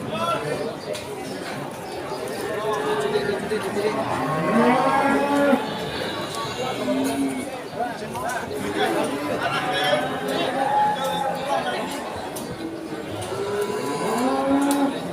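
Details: Cattle at the Pon Ambarawa cattle market during Ramadan 2024: several drawn-out, curving moos rise and fall over a constant din of crowd chatter and talking traders.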